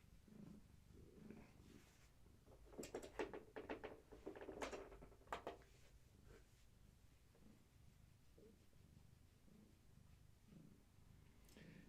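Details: Purring from Gaia, a long-haired tabby expecting many kittens, during a weigh-in. A soft low rumble runs throughout and is interrupted midway by loud rustling and scratching from handling.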